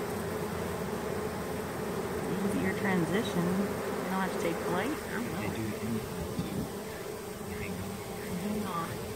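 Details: Honey bee swarm hanging from a small branch, slowly draping down into a hive box where its queen had already been placed; a steady low buzzing drone fills the air while people talk quietly nearby.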